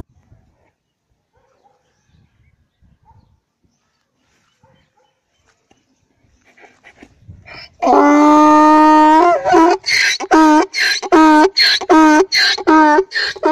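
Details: Young donkey crying loudly in a village: after about seven near-silent seconds, a sudden loud, harsh braying starts with a long rough note, then breaks into rapid alternating bursts, roughly one per half second, until the end.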